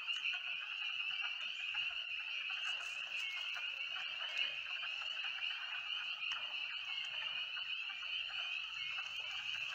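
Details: A dense chorus of spring peepers at a filled-in pond on Ivy Mountain, Connecticut, woodland at night: countless high, piping peeps merging into one steady, shrill ringing.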